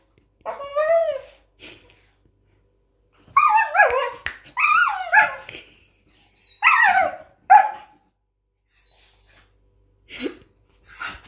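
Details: A grown Border Collie, once a head-tilting puppy, barking: high, yelping barks with bent, downward-sliding tonal harmonics in clusters of two or three, with quiet gaps and a few thin whine-like notes.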